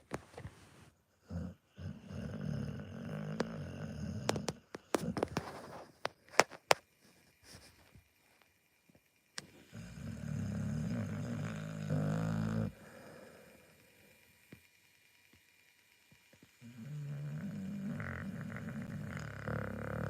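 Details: Pit Bull snoring in long, low rumbling stretches of about three seconds each, three of them separated by quiet pauses, with sharp clicks and knocks scattered through the first half.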